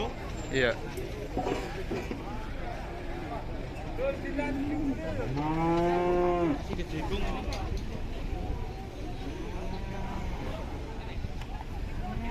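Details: Agitated, rampaging cow coming down off a truck gives one long, deep, harmonic moo lasting about two seconds midway through, with shorter lowing before it, over steady engine-like rumble and background noise.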